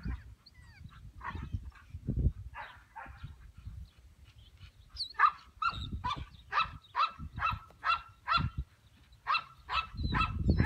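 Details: Started English Pointer from Elhew lines, a field trial and hunting dog, barking in a fast series of short sharp barks, several per second in bursts, with low rumbling background noise outdoors.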